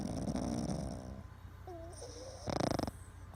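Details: Sleeping Boston Terrier snoring: a rough rattling snore, then a brief whining squeak, then a short harsh pulsing snort.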